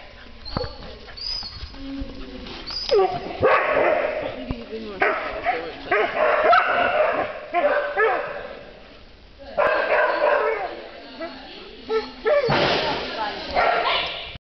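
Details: Australian Shepherd puppy playing with another dog; yips, whines and sharp barks in quick irregular bursts, with scuffling and human speech in the background.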